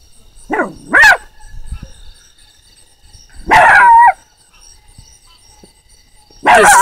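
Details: A puppy barks at the sound of a frog, giving three short, sharp, rising barks about three seconds apart, with a faint steady high hum behind them.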